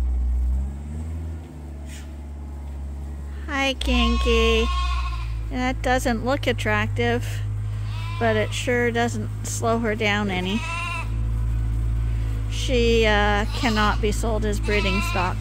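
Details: Several bottle-fed lambs at Ewetopia Farms, still on their mothers but topped up twice daily on a hand-made bottle feeder, give repeated quavering, wavering bleats, often overlapping in bursts, over a steady low mechanical hum.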